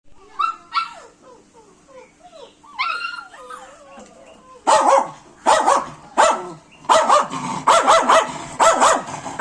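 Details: Pet dogs whining in high, bending tones for four seconds, then breaking into loud, sharp barks roughly every second, the whines continuing underneath.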